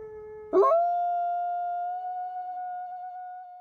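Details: A captive-born Canadian/Rocky Mountain gray wolf at a wolf conservation centre in South Salem, New York, recorded close up, gives a long, smooth, steady howl that holds one clear pitch after a breathy start.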